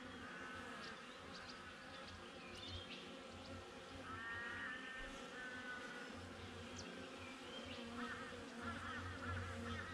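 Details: Honey bees outside a backyard beehive, captured on a GoPro: a steady, low droning hum that swells and fades slightly throughout, with scattered honking from geese and a few chirping bird calls further off.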